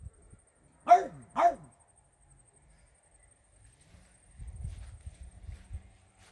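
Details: French Bulldog barking indoors, apparently at imagined fairies: a quick double bark, two sharp yaps half a second apart, followed by low rustling and shuffling, a faint high whine throughout.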